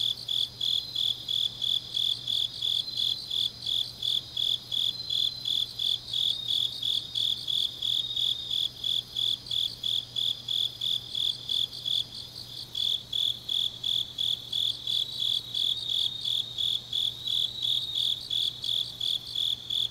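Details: On a deep autumn night in Changnyeong, Korea, grass insects keep up rapid, high-pitched chirping near three pulses per second, joined by a fainter, quicker layer of chirps that fades and returns; a short pause midway, steady low hum behind.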